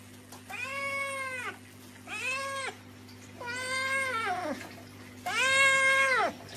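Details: Domestic cat meowing four times in drawn-out, arching cries, each about a second long, with short pauses between, over a steady low hum.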